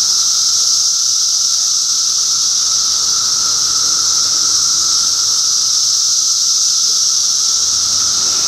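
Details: Cicadas calling in June 2013 in Middlesex County, New Jersey: a dense, unbroken high-pitched hiss-like drone that holds steady throughout, with a fainter lower steady whine beneath it.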